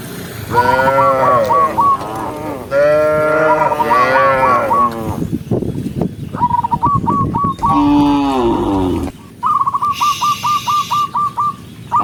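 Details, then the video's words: In the countryside, a herd of tame cows moos loudly: two long, rich, wavering moos, then a shorter lowing, while a high stuttering chirp repeats several times and a hiss rises near the end. "cow sound cow Moo"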